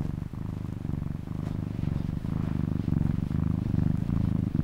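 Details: Cat purr, a deep continuous rumble pulsing rapidly, with its inhale and exhale cycles clearly alternating in a soft, even rhythm.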